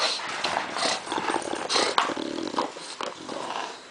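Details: Floyd the dog playing with an old milk jug: a short rough growl runs through dense crackling and popping of plastic as the jug is bitten and shaken.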